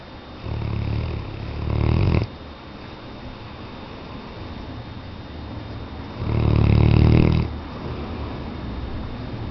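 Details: A snoring Weimaraner gives two deep, raspy snore breaths about four seconds apart, each swelling for over a second, with soft room hiss in the quiet gap.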